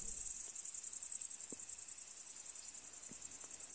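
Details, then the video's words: Field of crickets in a continuous high-pitched chorus, rapid pulsing trill with a regular throb about every second or so, a faint steady lower tone and a couple of soft low knocks. "Field of Chirping Crickets"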